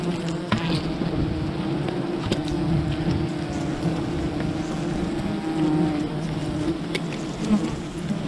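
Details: Swarming wild bees at a colony being raided for honey, producing a thick, even buzzing drone that holds steady throughout, with a few sharp clicks scattered across it.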